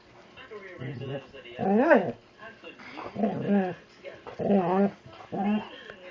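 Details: A 70-pound, overweight Labrador Retriever roused to play by Allie utters arching, rising-then-falling whining howls, four or five bursts spaced about a second apart, with soft talking in between.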